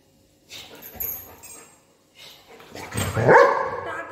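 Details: Golden retriever at play with its owner: faint scuffling and soft sounds give way to a single loud, abrupt bark near the end.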